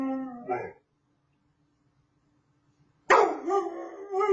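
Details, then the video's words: Male puppy howling for the first time: a short falling cry, then after nearly two seconds of silence a loud, harmonically rich wail that wavers and drops in pitch, ending abruptly. "the 1st time he ever howled"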